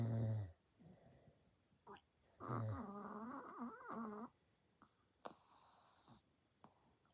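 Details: Two pet Chihuahuas asleep indoors, one snoring very loudly. A short deep snore opens, then a long wavering, whining snore with rising and falling tones runs about two seconds, followed by soft clicks and breathing.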